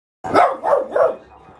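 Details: Boston Terrier/Pug mix dog barking indoors at dogs seen on a TV show: three sharp, evenly spaced barks in quick succession, each one short and punchy, followed by quiet room sound.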